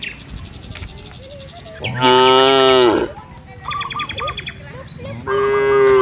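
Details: Village cattle in a field calling their companions home to the barn: a loud, strained, rising-then-falling moo lasting about a second, a few quieter mid-pitched calls, then another loud moo starting, with faint chirping in the background.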